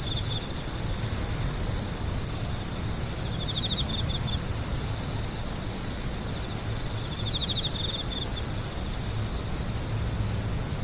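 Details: A piercing, continuous high insect drone holds throughout, with two short runs of fast pulsed chirps near 3 and 7 seconds, over low background rumble.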